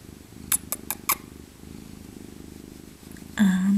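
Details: Maca, an elderly female tabby cat born in 2000 and once rescued as an abandoned kitten, purring softly while cuddled in her winter coat; a few sharp clicks early on, then a louder tonal voice sound at the end.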